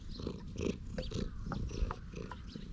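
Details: Stray cat lounging on a bench, purring with pleasure while being stroked, filmed on a GoPro HERO8: a low, rumbling purr pulsing in steady cycles of about half a second, with faint higher chirps from birds in the background.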